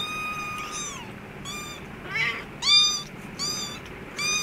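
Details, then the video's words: Kittens with their mother cat in an office store room give clear, high, tonal mews that fall slightly at the end, repeated roughly every half second to second, one rougher cry among them, over low indoor background noise. "kittens with mother cat"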